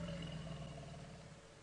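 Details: On a safari drive at about 3 PM on 11 August 2016, a male African elephant feeding on a bush gives a deep, droning rumble that fades over 1.5 seconds, addressed to a female that just moved off.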